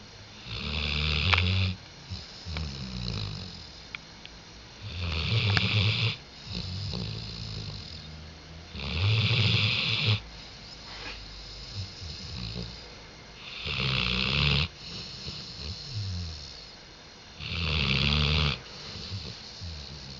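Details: Diesel the dog snores through a rhythmic series on 5 October 2011, about six gravelly, hissing snores arriving every three to four seconds, each trailed by a fainter second rasp and calm gaps between.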